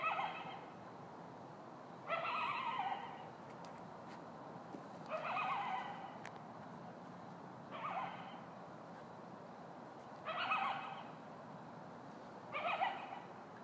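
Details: A lone coyote gives short, wavering howls, each under a second long, repeated every two to three seconds.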